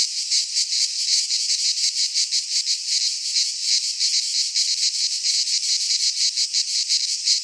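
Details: Midsummer cicada chorus from a pine forest in Greece, a shrill buzzing wall of sound throbbing in fast regular pulses, nearly three per second, no birds or voices.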